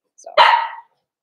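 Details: Cavalier King Charles Spaniel puppies being socialized with bigger dogs in a puppy pen on 13 December 2022. A single sharp bark comes after a soft lead-in and fades within half a second.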